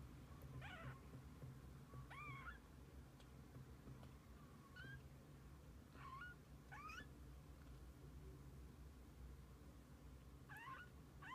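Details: Kittens alongside their mother cat, heard as faint, short, high mewing squeaks spaced a couple of seconds apart, some hooked upward, beneath a dominant low rumble of background noise.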